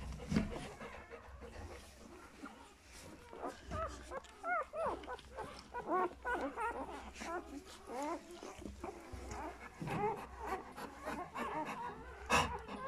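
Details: Newborn puppies of Folie and Mayley, two days old, give a string of short, upward-curving squeaks and whines, scattered and uneven in spacing, over a low background hum with a few clicks.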